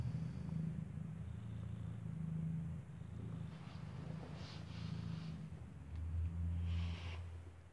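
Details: Mother cat Kartopu with her newborn kitten, eyes still closed, suckling indoors in the building where she gave birth; deep continuous purring rises and falls in rhythmic surges, growing stronger near the end.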